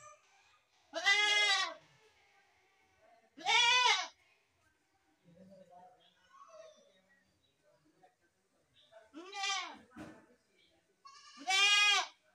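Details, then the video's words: Goat giving four loud, shaky bleats spaced roughly two to three seconds apart, with quieter grunting sounds between them. "best goat sound in the world | goat sound"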